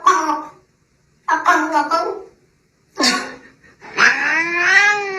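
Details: Cat meowing four times: short nasal meows separated by pauses, then a longer wailing yowl that rises and stretches out at the end.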